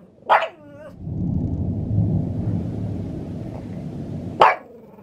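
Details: Maria, a pet Pug in Saitama, Japan, barking at thunder in May 2020: two sharp barks about four seconds apart, the first with a short falling whine tail, separated by a long low rumble of thunder.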